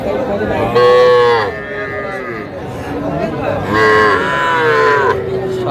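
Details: Two loud, drawn-out moos, each about a second long with a slight falling end, come from small Sahiwal bull and heifer calves traded at a Faridpur cattle market in Bangladesh on 17 March 2025, with faint crowd voices behind.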